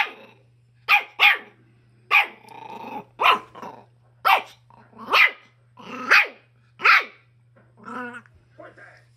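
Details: Schipperke dog near a chicken, giving about ten sharp, loud barks spaced roughly one second apart, with a few softer yelps at the end over a steady low electrical hum.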